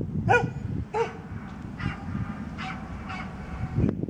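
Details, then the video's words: Old dog named Misty barking in Birkenhead Park on 10 July 2013: two sharp harmonic barks close together near the start, then softer, fainter barks spaced about a second apart over low rumbling background noise. "old misty barking"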